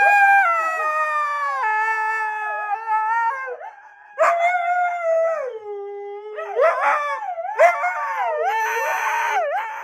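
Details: Siberian Husky giving long, melodic howls that slide downward and waver, with a brief lull, then rougher yodelling howls with sharp upward swoops toward the end.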